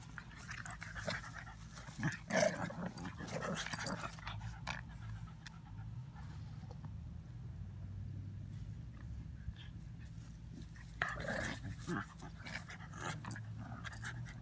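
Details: Playing puppies, an Old English pup and a mutt, pant and scuffle; rough growly bursts come around the second to fourth seconds and again near the end, with a constant low hum underneath.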